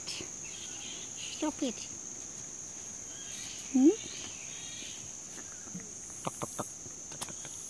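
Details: Rescued little red flying foxes in care in Australia, squabbling over fruit: brief harmonic squeaks, one louder rising squeal midway, then scattered sharp clicks over a steady high-pitched hum.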